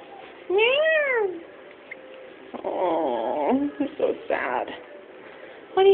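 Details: Long-haired, blue-eyed, pure white kitten, already adopted, gives one drawn-out meow that rises and then falls near the start. A woman then speaks softly and affectionately, and a short second meow comes at the very end.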